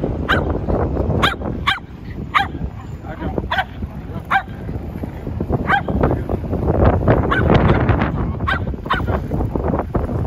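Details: Shetland Sheepdog giving quick repeated barks in bursts, several close together then scattered, over a busy low background noise with some talking.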